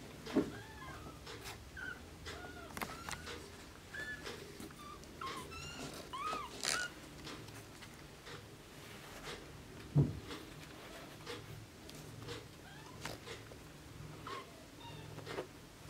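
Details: Blue Oriental Shorthair kittens mewing indoors: several short, thin, arching mews scattered through the recording, fairly faint, mixed with sharp knocks, clicks and handling noise, with some soft human speech in the background.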